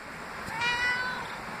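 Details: Pet male cat, normally very quiet, meowing at home while its owner responds: one clear, drawn-out meow of about half a second with rich overtones, gently falling at the end, over a faint steady background hiss.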